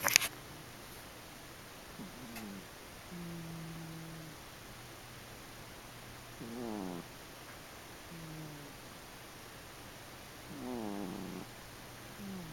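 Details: A sleeping house cat snoring indoors, with low droning tones and wavering breaths recurring about every two to four seconds over a faint steady hiss.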